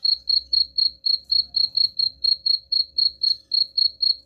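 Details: A cricket's shrill chirping, presented as a rat repellent, repeating in an unbroken, even rhythm of roughly four chirps each second, with a faint low hum beneath.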